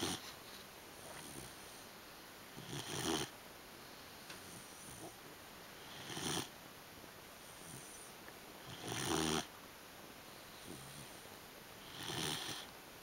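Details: Buddy, a 3-month-old English Pointer puppy, snoring while asleep indoors: soft breathy rasping bursts about every three seconds, separated by quiet pauses, over a faint steady background hiss.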